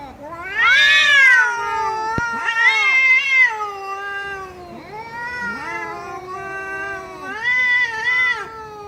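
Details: Domestic cat meowing in a series of loud, drawn-out harmonic cries, the first rising and falling sharply, followed by several shorter wavering meows over nearly nine seconds; a single sharp click midway.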